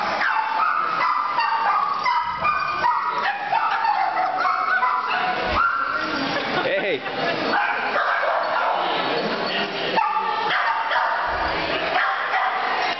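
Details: A Boston Terrier making new friends at a Santa Paws event gives short yips, barks and high whimpers among other dogs, with people talking throughout.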